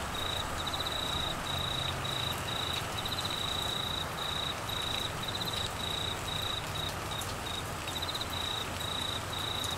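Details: A cricket trills steadily in short, high, pulsed bursts over the hiss of heavy monsoon rain during Australia's monsoon season and flooding in Queensland.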